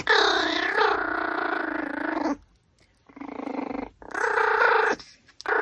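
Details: Pomeranian eating a raw pork backbone gives a tonal, whining vocalisation with wavering pitch, sustained for about two seconds, then a quieter stretch and two shorter whines near the end.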